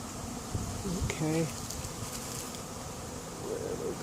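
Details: A late-season honey bee swarm moving into an empty hive in 2021, heard as a rough, low, continuous buzz, with a short voiced sound rising briefly above the drone just after one second.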